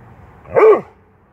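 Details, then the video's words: Dobermann giving a single short, sharp bark that rises and falls within a fraction of a second against a quiet background. "Dobermann bellt"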